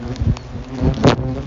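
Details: Asian hornets in a very large, violent attack, pursuing someone away from their nest in a bush; a continuous low buzzing drone with layered humming tones, interrupted by a loud rustling burst about two-thirds through.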